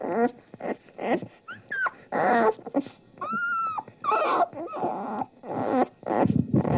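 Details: Nursing puppies feeding from their mother, giving a string of short whining squeals and yelps, some with sliding, whistle-like pitch, separated by brief pauses, with faint background noise.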